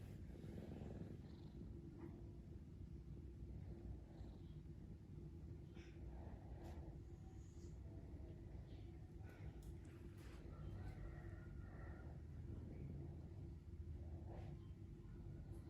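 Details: A sleepy cat snoring, its low, even rumble droning on and on, broken only by a few faint small clicks and rustles in a quiet room.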